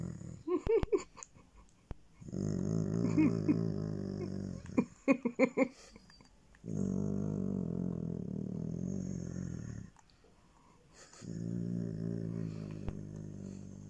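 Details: A Basset Hound gives long, low, rumbling groans of pleasure, each lasting a few seconds, while being petted, seeming to power down towards the end.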